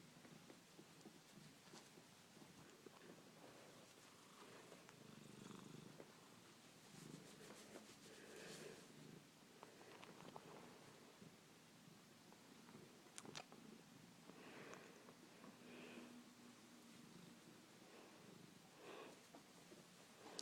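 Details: Female pet cat purring indoors in a small room, greeting her owner after a day apart; a soft, continuous low rumble with brief sniffs and rustles, and the owner talking quietly nearby.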